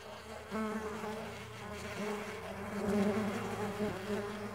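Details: Flying Mandaçaia stingless bees: a layered, humming buzz that begins quieter, then thickens after half a second, with overlapping tones drifting up and down as individual bees move nearer and away.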